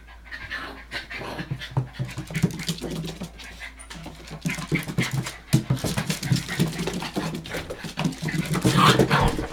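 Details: Panting from 65-day-old Hokkaido dog puppies, the litter of Hana, recorded 18 February 2011 indoors. Rapid, rough breathy huffs, several per second, running continuously, with shuffling and movement noises throughout.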